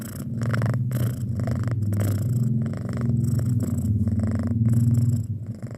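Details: Close, loud purring from a pet cat aged six months, a rich buzzing rumble with clear breath-by-breath cycles, steady throughout before easing off at the end.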